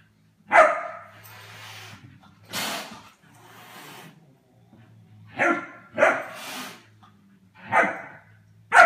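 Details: German Shepherd puppy playing with the household cats, who show him who is boss: sharp, harmonic-rich barks come in short bursts about every two seconds, separated by quieter breathy noise and a low steady hum.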